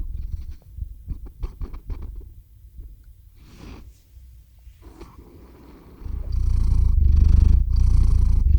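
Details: Domestic cat Theo purring while falling asleep, recorded close with a RODE shotgun microphone; soft irregular breathy rumbles at first, then a strong steady low purr swelling in the last few seconds.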